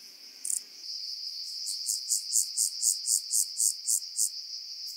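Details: On Cres, Croatia, on 13 July 2022, a rock-dwelling grasshopper gives a steady run of soft, high-pitched pulses, roughly four per second, after a single brief click, over continuous high background noise.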